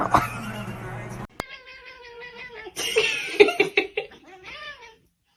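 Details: Domestic kitten meowing: a run of drawn-out tonal meows over about four seconds, several bending downward at the end, with a brief burst of human voices at the start and overlapping sharp cries midway.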